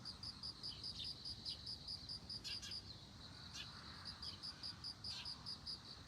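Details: Among globe amaranth blooms, a bell cricket rings out in quick, evenly spaced bright pulses, roughly two per second, a short pause breaking the run midway, with soft scattered clicks in the background.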